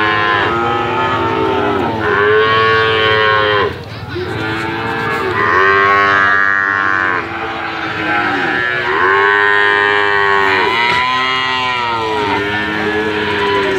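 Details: Calf mooing repeatedly, several long harmonic-rich moos with arched pitch contours, roughly one every three to four seconds, overlapping calls suggesting more than one voice, steady background hum beneath.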